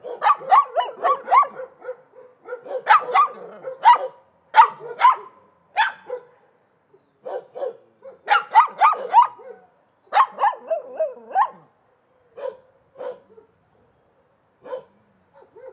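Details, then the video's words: Several dogs barking in rapid volleys of harsh, mid-pitched barks mixed with higher yips, broken by short pauses, thinning to scattered single barks toward the end. "Szczekanie psów"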